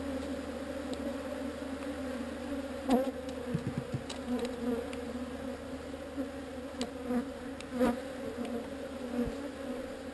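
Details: Swarm of honey bees being moved from an unwanted spot, a steady low droning hum with a brighter overtone above it, held evenly throughout, with a few soft knocks and clicks scattered through.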